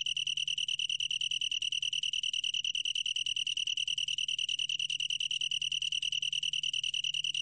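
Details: Long-tailed tree cricket from a 2020 National Institute of Biological Resources recording. It gives a steady, high, clear ringing trill made of rapid, evenly spaced pulses with no breaks. A faint low hum sits underneath.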